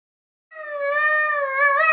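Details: A vocal Boston terrier singing: one long, steady, tonal howl that begins after a brief silence and holds an even pitch with rich overtones, rising slightly in strength toward the end.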